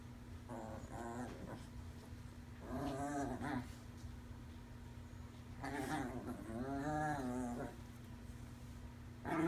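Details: Chihuahuas playing with a toy: Lucille, a skittish five-month-old rescued puppy, and Davie Jones. Bursts of harmonic growling and whimpering yips come in two main clusters, each lasting about a second or more, over a steady low hum.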